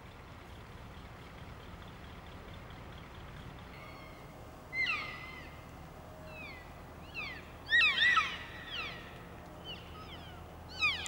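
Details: In the rutting season, elk hinds in a stag's harem give high, squealing whistled calls that sweep up and down in short bursts, calls that keep the herd close, over a quiet background.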